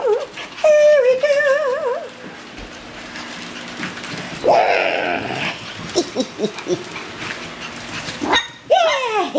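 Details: Dark red miniature poodle puppies, eight weeks old, with their mother Jillaroo, playing and flirting: wavering high whines and yips, a rising-falling squeal near the end, with a person talking and handling noise throughout.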